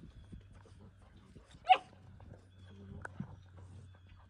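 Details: American Country Mountain Mastiff giving one sharp, short yelping bark near the middle, with a softer faint vocal sound later, over a low steady hum and quiet background rustling.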